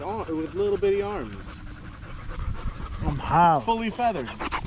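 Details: Evening park meeting of male dogs, a Staffordshire Bull Terrier among them: two drawn-out, sliding howl-like whines with a quiet gap between, plus soft panting.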